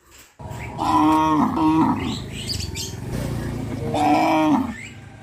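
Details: A herd of cows on its way to graze within a settlement; two loud, sustained, nasal moos, the first about a second long, separated by a pause, with faint bird twitters above.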